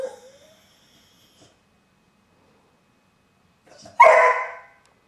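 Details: Domestic dog indoors: a faint rising whine opens, then after a long pause comes a single loud, harsh bark that quickly fades.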